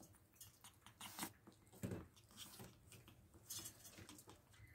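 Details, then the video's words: Pet ferrets eating a raw diet of rabbit carcass, chicken neck and beef; sharp wet crunches and tearing clicks come in irregular bursts, with louder bites near the first and second seconds, in a quiet small room. "Ferret ASMR | Rabbit Carcass, Chicken Neck & Beef"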